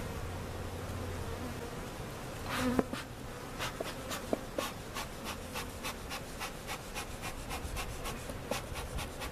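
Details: Honey bees buzzing as removed bees and comb from a giant hive cutout are placed in their permanent location at Jerome Bee Farm, Central Oklahoma; steady low hum with scattered clicks and knocks of handling.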